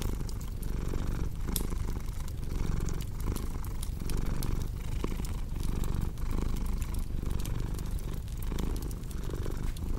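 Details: Cat purr mixed with a cozy crackling fire: an even, low vibrating drone with regular in-and-out breath pulses, dotted throughout with quick clicking snaps from the flames.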